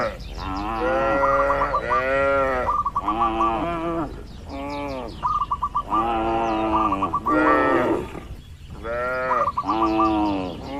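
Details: A herd of tame cattle wandering and grazing in open countryside, lowing steadily: a run of short, arched moos about a second each, almost back to back, with faint quick chirps woven through.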